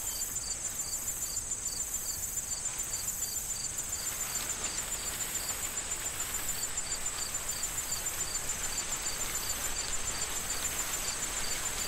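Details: Crickets in a corn field in autumn, before harvest: high, short chirps repeated steadily about twice a second, over constant wind and rustling corn stalks.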